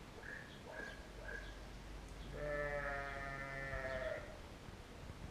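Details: Sheep filmed with a GoPro Hero: a few short, faint bleats in the first second and a half, then one long, strong, quavering bleat lasting nearly two seconds over low rumbling background noise.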